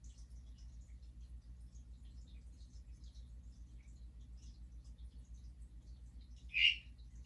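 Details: Hourglass tree frog (Dendropsophus ebraccatus), also called harlequin tree frog, giving a non-breeding call a day after a mating event, possibly marking territory to other males. One short, bright chirp comes near the end over a steady low hum.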